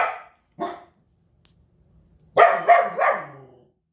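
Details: Belgian Malinois barking hard: two single sharp barks, a brief pause, then a rapid burst of three loud barks close together, in a quiet indoor setting.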